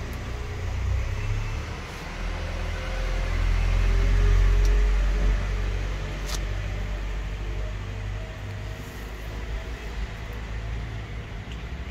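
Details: A running engine hums low and steady, swelling louder around four seconds before settling, with a few faint clicks above the drone.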